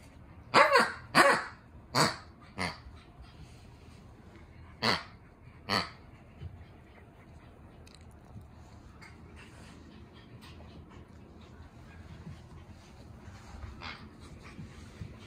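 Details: French Bulldog puppies, siblings born on 18 July 2020, give six short, sharp, harsh yaps in quick bursts over the first six seconds, the first four closely spaced. Then only a low, quiet room hum follows.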